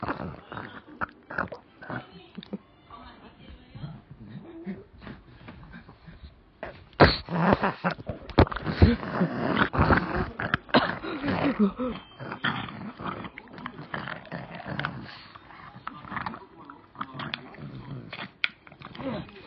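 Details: A greedy pet pug snorts, grunts and whines insistently, begging for a favourite treat, with a person speaking at times.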